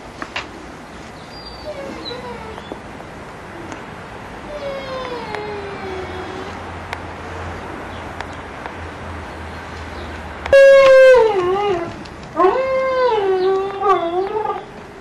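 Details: Giant Schnauzer puppies at Kennel Vestigia Ares, recorded 15 October 2009. Soft, faint whimpers drift through steady background hiss, then louder wavering whines break out near the end in two bursts.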